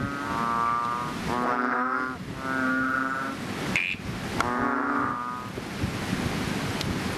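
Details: After rain at a fishpond, chubby frogs give loud, droning nasal calls, several drawn-out groans overlapping in the first seconds, one later call, then a quieter stretch of background hiss.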